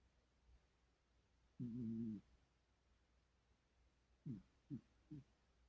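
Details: Kitty dreaming while asleep: one steady, low, humming murmur lasting about half a second, then three short, soft, downward chirping sounds in quick succession, with quiet between.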